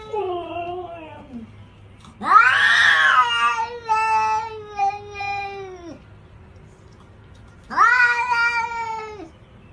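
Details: Kitten meowing three times: a wavering falling call, then a long loud meow lasting nearly four seconds, and a shorter arched meow after a pause, with a low steady hum underneath.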